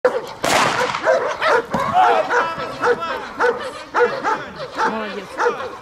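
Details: German Shepherd dog in bodyguard and protection training in Odessa, Ukraine, alongside a Belgian Malinois; loud, harsh barks burst out irregularly, roughly once a second, mixed with a handler's shouted commands.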